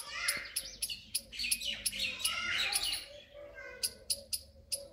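A squirrel gives sharp, high screeching chirps in quick bursts, several each second.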